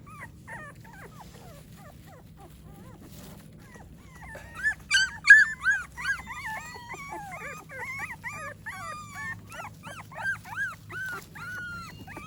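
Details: American Pit Bull Terrier puppies after breakfast: faint scattered squeaks at first, then from the middle a louder, dense chorus of rising-and-falling whimpers and yips from several pups, repeated rapidly to the end.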